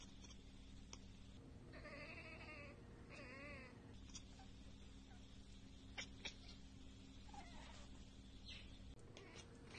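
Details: Domestic cat chattering at a bird or insect it cannot reach, two short bursts of rapid wavering, stuttering chirps over a steady low electrical hum.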